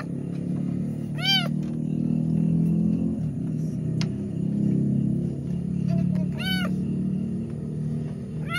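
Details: Cat suffering while giving birth to two kittens; two short, high, arched mews about five seconds apart over a steady low rumble and faint background music.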